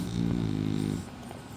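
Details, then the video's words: A sleeping French Bulldog snoring: one low, droning, buzzy rasp with a steady harmonic hum lasting about a second, fading into softer breathing noise. "Cute frenchy snoring"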